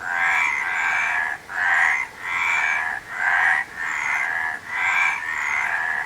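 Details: Frogs chorusing in about six swelling bursts of dense, grating croaks, each burst followed by a short pause, keeping a fairly even rhythm.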